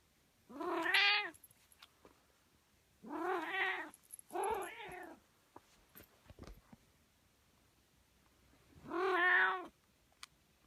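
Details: Pet cat giving four strange, strained meows with a rising then falling whine, each under a second, the first three close together, then a pause before the last; quiet room with faint tapping noises between calls.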